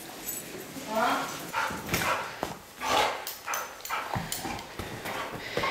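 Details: Lady Bear, a pet dog, greets her owner coming home with excited whining, brief high whimpers mixed with short vocal bursts indoors, while a person talks to her over the noise.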